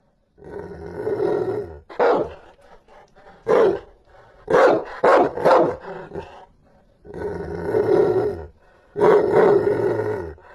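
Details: Rottweiler barking fiercely: long rumbling growl-like roars between short, sharp barks, loud harsh bursts in irregular clusters with brief quiet gaps.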